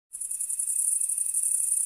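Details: Crickets chirping in a field: a dense, very high, shimmering trill pulsing rapidly and continuously, with a fainter steady tone beneath, starting abruptly after brief silence.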